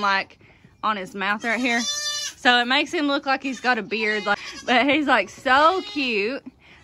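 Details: Loud baby goats, kidding season 2022: a rapid series of short, shaky bleats, several kids calling one after another with trembling, nasal cries, while a person talks in the background.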